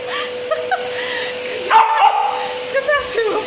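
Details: Samoyed named Asti, a female dog, barking and yipping at a vacuum cleaner she is fighting and dragging. Short sharp barks and a whimper come over a steady appliance hum, with a woman talking to her in Russian throughout.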